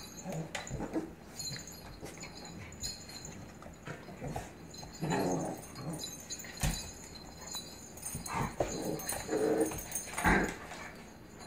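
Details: Blue pit bully puppy playfully dominating an adult Staffordshire pitbull terrier indoors; short whimpering yips and breathy growling bursts come and go over several seconds, with scuffling and clicking noises between them.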